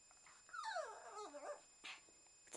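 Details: A pet Shih Tzu, asked whether it is going for a walk, gives one drawn-out whine that glides down from high to low and wavers over about a second, then goes quiet, with faint room noise.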